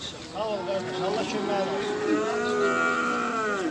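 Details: A Simmental calf offered for sale at the Beylaqan livestock market in Azerbaijan, 27 May 2021, gives a steady, sustained, slightly wavering moo that fills nearly four seconds over a background of market murmur.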